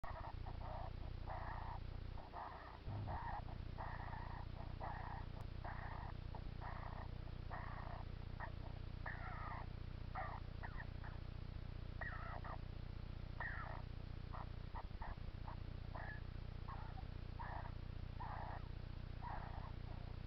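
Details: A hedgehog, kept by an owner who wonders whether he is ill, gives short huffing bursts in quick succession, roughly two or three per second, over a steady low hum.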